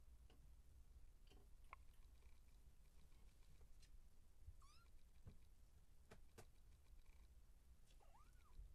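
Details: Siamese kittens, 34 days old, wrestling and playing soccer on a red carpet indoors; two brief, thin meows, the later one rising then dipping, over a steady low hum with scattered soft taps and clicks of play.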